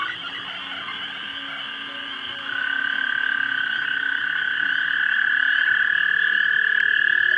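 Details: Frogs in a pond at dusk in March 2011, mating, filmed with a 3 megapixel camera: a quieter trilling chorus that jumps louder after two seconds as a close caller joins, then keeps building.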